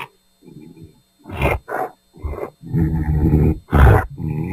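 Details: Bull bellowing angrily in a pasture: low throaty grunts and short rough bursts, then a longer deep rumbling call with a harsh breathy snort near the end.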